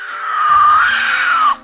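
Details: Puma screaming loudly: a single long, strained wailing cry, fairly steady in pitch and falling slightly at its end, lasting over a second before cutting off, with a faint low background rumble.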